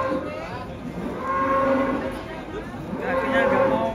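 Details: Lame giant cow just taken off a truck, unwilling to put one foot down, lets out two long, level lowing moos separated by a short pause, with music and people audible behind.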